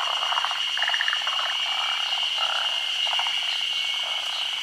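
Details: Forest green tree frogs, endemic to Honshu and Sado Island, spawning in daylight during the rainy season. Short grating, pulsed croaks come in quick runs, set against a continuous shrill insect drone.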